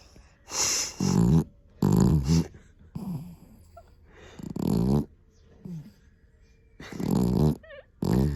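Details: Vanilla, a Pomeranian-Chihuahua mix, snores loudly in sleep with rough, growl-like rattling breaths, several strong bursts spaced one to two seconds apart, with softer wheezy breaths between them.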